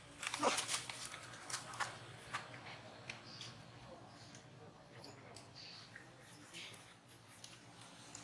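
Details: Monkey at Angkor Wat Park crying while another monkey disciplines it: a high, squeaky cry with stacked harmonics near the start, then several shorter sharp squeals over a steady low hiss.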